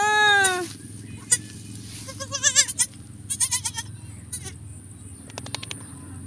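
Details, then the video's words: Domestic goat during the birth of kids on a farm: one loud, wavering bleat of about half a second at the start, then scattered clicks, rustling and soft handling noises with a steady low hum. "pag anak ng kambing"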